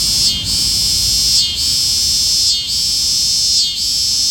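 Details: Cicada singing: a continuous high, shrill buzzing drone that dips briefly about once a second, four dips in all, over a faint low rumble.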